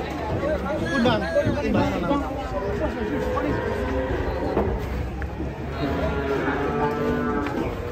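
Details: Lowing from an agitated cow stepping down from a truck amid frightened onlookers: several short, wavering moos over a constant wash of people talking nearby.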